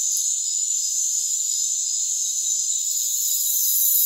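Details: Crickets in a rainforest, a continuous high shimmering chorus of steady tonal bands with no pauses, slightly louder toward the end, with a faint hiss and no low sounds.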